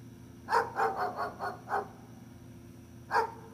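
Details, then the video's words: Gunner, a dog, lets out a quick run of about six barks that fade in strength, then one louder bark after a brief silence, a low hum running throughout. "Gunner the Barking Dog"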